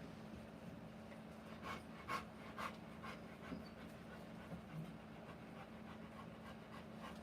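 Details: Faint, rapid breathy panting from a Rottweiler in labour with puppies, several soft rough bursts near the middle over a constant low electrical hum.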